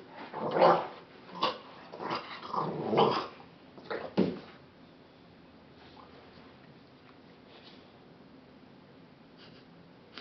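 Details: A dog growling and snorting while bothered by an itchy face, indoors: a run of short rough growly bursts over the first four seconds, strongest near the start, then near silence with only faint soft noises.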